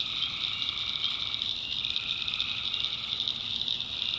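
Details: Nighttime tree frog chorus in a North Carolina backwoods swamp, a dense high ringing trill with a steady lower humming layer beneath it.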